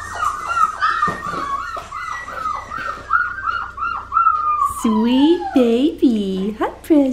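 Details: Blue merle female Australian Shepherd puppy from Magnolia's litter, indoors at an Oklahoma breeding farm. She gives a rapid series of high, arching whimpers with a falling end, followed by softer cries overlapping a woman's affectionate baby talk.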